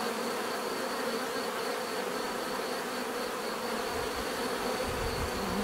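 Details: Continuous swarm-like hum of bees, an even layered drone with no pauses and a thin high tone held above it.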